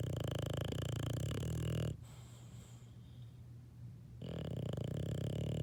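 An English Bulldog puppy snores in deep, rumbling, rattling breaths, with a quiet pause between them.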